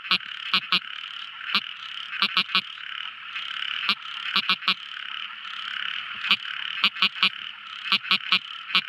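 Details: At night a tiny frog gives crisp clicking notes, singly and in rapid pairs or triplets spaced irregularly, above a constant droning night chorus.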